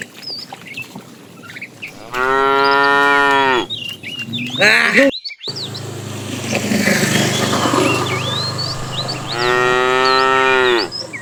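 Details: Tame cows herded along a road while looking for food; two strong sustained moos, each about one and a half seconds, separated by a rustling, noisy passage and scattered bird chirps.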